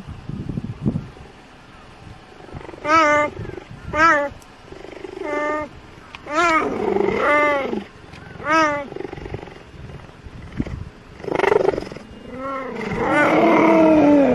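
A cheetah gives short, high, cat-like meows in separate bursts instead of a roar.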